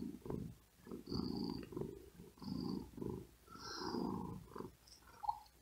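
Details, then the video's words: Domestic cat, very tired and too hot to sleep, resting on a wooden desk. It purrs in low, grainy rumbles tied to quick breaths, with faint higher whistling breath tones on some exhalations. "Asmr Cat Purring And Whispering Sound"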